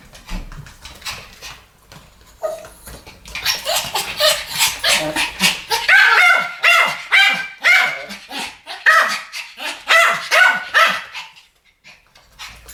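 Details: Two Pomeranians barking together in a duet, sharp high yappy barks overlapping in rapid bursts after a quiet start, about two per second, fading out near the end.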